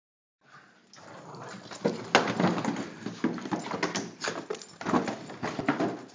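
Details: A female Boston Terrier barks at a Coca-Cola box she hates, in quick, uneven bursts, sharp and gruff, several times a second.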